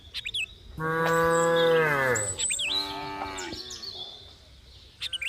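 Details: Cattle lowing, a loud drawn-out moo that falls in pitch at its end, followed by a softer second moo, with bird chirps scattered high above.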